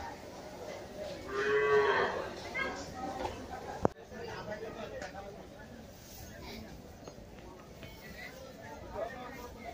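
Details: At Gabtoli cattle market, Dhaka, one bovine gives a brief, rising-then-falling moo early on, followed by steady background market murmur, voices and a sharp knock.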